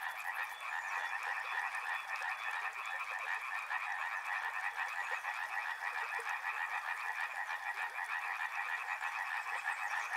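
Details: Thick chorus of frogs: overlapping pulsed croaks fill two mid-pitch bands for the whole stretch, level and unbroken, a restless trilling texture with no other clear sound.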